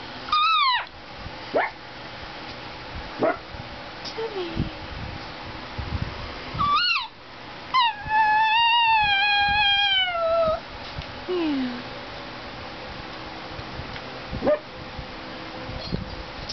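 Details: Gizmo, a pet Greyhound–Chihuahua mix known as a talking greyhuahua, vocalizing indoors: short sharp rising whines, then a long wavering howl-like whine with rich overtones lasting about three seconds, followed by a few brief yelps and quieter pauses.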